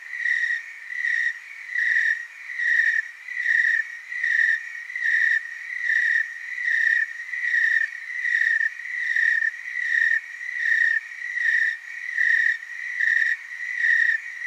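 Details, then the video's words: Willamette Valley, Oregon tree cricket chorus: a long, even, piercing trill pulsing in strong regular swells about every 0.8 seconds, around eighteen surges, with no other sounds. "Tree cricket chorus"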